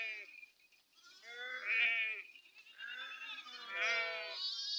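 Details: Flock of farmed sheep grazing in forest in Telangana, India: a chorus of long, quavering bleats from several animals, overlapping in two or three loud bursts separated by brief lulls.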